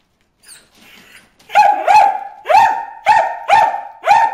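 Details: Bruce, a dog, barks at fish in the water hole, starting with a soft whine, then six loud, clipped barks at an even pace, each with a slight upward bend.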